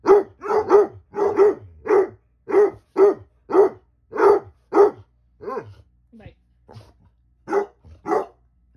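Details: Basset Hounds Ari and Musta barking and talking back: a steady run of about ten deep, resonant barks roughly every half second, then softer moaning yelps and two final barks.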